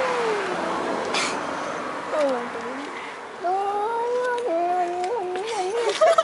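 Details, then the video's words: Two fairly large male cats outdoors at night near a car, yowling aggressively before fighting; long wavering cries that rise and fall in pitch, sliding up and down in stepped wails, with faint background hiss. "Cats Making Funny Noises!!!"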